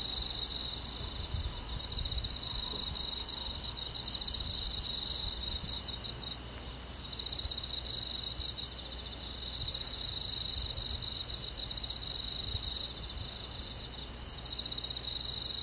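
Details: Summer-night crickets with other forest insects: long stretches of rapid, pulsing high trill, stopping briefly and starting again, over a constant bed of high insect hiss and faint low rumble.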